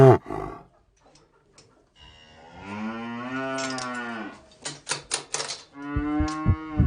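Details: A farm cow gives a long, steady, harmonic moo after a short sharp sound and silence, followed by clattering knocks and then a higher, level moo at the end.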